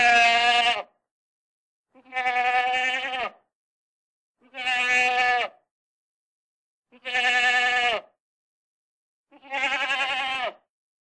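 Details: A single goat calling: five loud, wavering, nasal bleats, each just under a second long and rich in harmonics, repeated roughly every two and a half seconds with clean silence between them.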